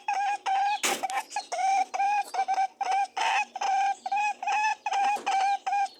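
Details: Buzzing, humming honks from mating rabbits, rapid and regular pulses of a nasal tone with rich overtones, interrupted once by a sharp rustling burst.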